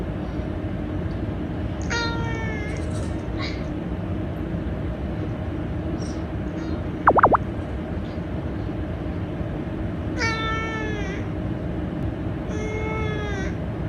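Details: Domestic cat meows played back from a smartphone in a home with five rescued cats; three descending harmonic mews at about 2, 10 and 12.5 seconds over a steady low hum, with a brief sharp click near 7 seconds.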